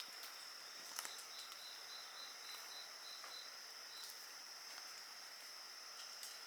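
Insects sing a steady high trill, joined by a second chirping insect and the crackle of a fire.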